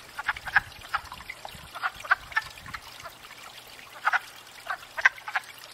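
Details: Wood frogs at a pond in spring, gathered after thawing to court and breed and wary of nearby movement; scattered short clucking croaks, a few at a time with quiet gaps, over a soft background hiss.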